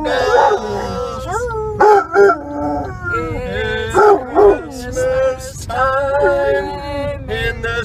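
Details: Basset hound giving a wavering, bending howl in repeated rising and falling swoops while the Christmas song Silver Bells is sung and played in the background.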